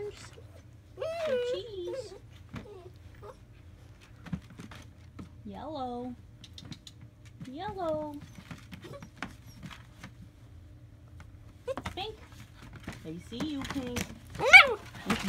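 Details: Young German Shepherd puppies from a Florida litter, July 2017, let out scattered high, wavering whimpers: a cluster near the start, single cries in the middle, and a sharper yelp near the end, over a quiet indoor background.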